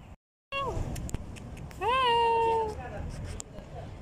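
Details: Homeless cat being helped gives a short falling meow, then a longer meow that rises and holds steady for under a second, over low traffic-like background noise.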